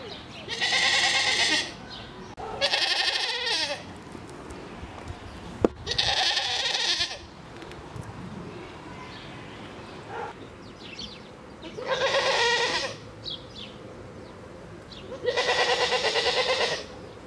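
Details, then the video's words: Grisons Striped goats at a Basel park, with a baby present, bleat five times in a row: strained, buzzy, wavering cries spaced a few seconds apart, with a faint rustle and a sharp knock between them. "Musikalische Strahlenziegen"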